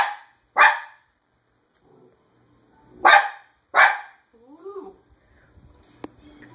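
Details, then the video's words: Female pet dog barking at people she sees outside. One sharp bark, a pause, then two more quick, loud barks, followed by a short wavering whine-like sound and faint background noise. "Dog barks like crazy"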